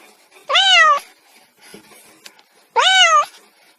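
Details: Two clear kitten meows about two seconds apart, each arching up and gently down in pitch, with soft clicks and rustles in the quiet between them.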